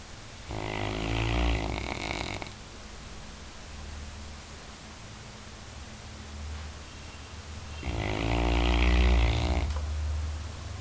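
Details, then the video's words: Labrador Retriever asleep and snoring: two long rasping snores about six seconds apart, each roughly two seconds of harsh buzzy breath with a low rumble, separated by quiet breathing and faint room hum. "Labrador roncando"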